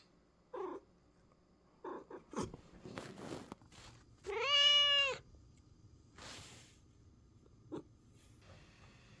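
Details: Talkative American Curl pet cat expressing its feelings: brief chirps and a clicking knock early, then a loud, drawn-out harmonic meow rising and falling around four to five seconds, followed by a noisy burst and a short closing mew.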